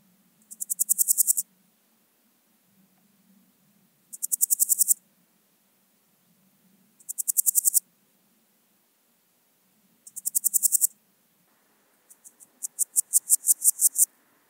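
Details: Podismopsis keisti, the Swiss gold grasshopper, singing at Wildhaus, Switzerland, on 7 October: four short high rasping pulse-trains spaced about three seconds apart, then a longer, slower series of about ten louder pulses.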